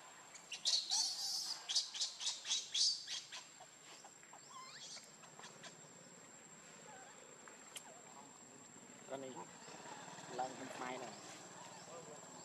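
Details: Baby monkey named Lucie, very hungry for milk, crying: a burst of shrill, high squeals pulsing about twice a second for roughly three seconds, followed by fainter wavering harmonic cries over a quiet outdoor background.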